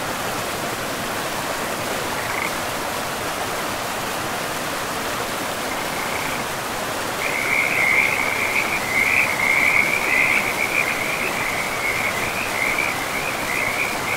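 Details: Forest frogs by a river. Faint trills are barely audible at first, then from about seven seconds a continuous rasping chorus of pulsed calls rises above the constant roar of flowing water.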